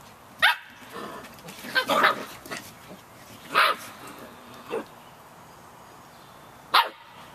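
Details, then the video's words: Several 51-day-old Samoyed puppies yap in rainy weather, sharp high-pitched yelps coming in a quick cluster then spaced out, each a short bright burst over a constant rain hiss. "Samoyed Puppies - Yapping in the Rain"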